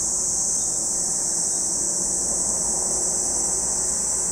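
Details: A steady wall of high, hissing cicada song at Lake Kamo, Sado City, Niigata Prefecture, Japan, continuous without pauses, over a soft low rumble in the background.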